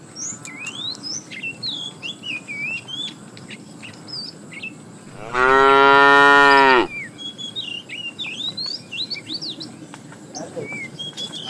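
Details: A cow in a herd of tame cows being driven toward fresh pasture gives one loud, full moo lasting about a second and a half, with lively high twittering from small birds before and after.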